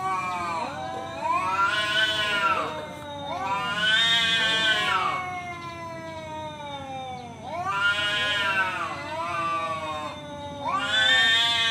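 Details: Male cat calling another out to fight, harsh screaming yowls that climb to a shrill peak and fall back, four loud bursts separated by quieter moaning.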